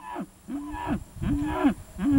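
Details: Cattle at a livestock sale in Ty Ty, Georgia, with Angus and Angus-cross steers and heifers offered; four short, harmonic bawls about half a second each, steady mid-pitched then bending down at the ends, over low rumbling background noise.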